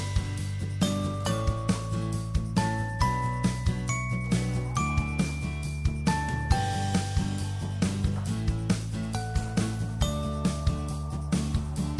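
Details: Instrumental music with bright chiming, bell-like notes over a steady low bass line, with repeated plucked accents and no animal sounds.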